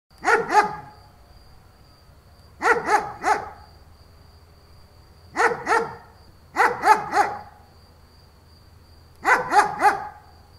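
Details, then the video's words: German Shepherd barking in short bursts of two or three deep, rough barks, with pauses of about two seconds between bursts; a faint steady high whine and low hum sit underneath. "Dog barking sound german shepherd"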